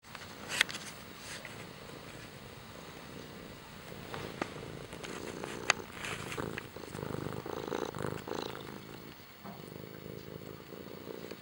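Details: Kimba the cat purring softly, a low rumbling hum that swells in the second half, with scattered sharp clicks and rustles throughout.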